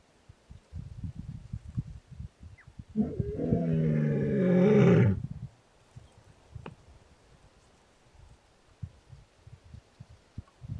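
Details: A young male lion just over two years old, searching for his sisters, gives a deep, rumbling roar lasting about two seconds amid low background rumble, in early morning in winter at Welgevonden Game Reserve, Waterberg, South Africa.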